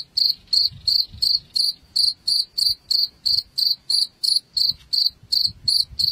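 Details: Chirping cricket used to scare rats away: a regular string of short high pulses, roughly three per second, over a soft rumbling background.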